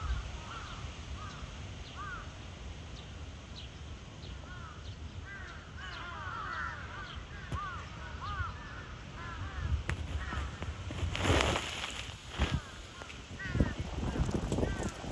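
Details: Cheetah Zuraya, Chiba Zoological Park, 8 April 2023: a long series of arching, bird-like chirps. Later there are bursts of broadband rustling and knocking noise.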